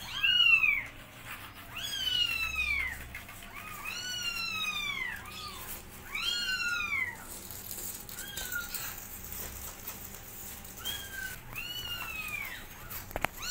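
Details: Kittens meowing loudly while their mother cat teaches them to walk; high, arching harmonic meows that bend downward, repeated in overlapping bursts roughly every one to two seconds, several calls close together, with faint clicks and room noise.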